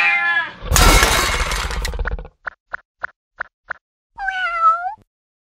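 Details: A brave little Indian cat gives a falling tonal cry, then a burst of loud rustling noise and a series of evenly spaced clicks, and finally a wavering, rising meow.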